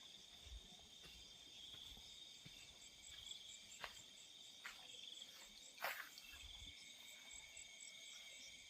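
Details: Crickets calling at night in fields: steady high trilling bands with a pulsed chirp rhythm above, broken by scattered clicks and soft thumps, one sharp knock near the end, faint low rumble beneath.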